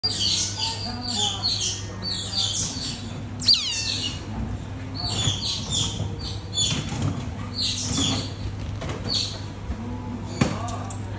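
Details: Asian small-clawed otters eating at North Safari Sapporo, Hokkaido, in summer give rapid, high, squeaky chirps in short bursts, several close together, over a steady low mechanical hum.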